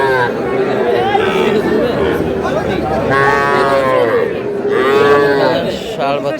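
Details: Young bulls and heifer calves at a livestock market in Dhaka, Bangladesh, give drawn-out rising and falling moos, two long calls dominating, over steady crowd chatter and speech.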